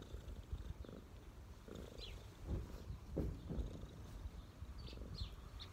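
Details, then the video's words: A street cat resting on someone's knees gives a deep, rumbling purr with uneven surges. Short high chirps from birds can be heard nearby. "cat’s relax on my knees 🐈‍⬛| cat purring"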